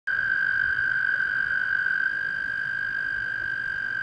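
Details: A toad calls at Clear Creek Reservoir in South Mountains State Park, giving a long, steady, high musical trill that holds one pitch without a break.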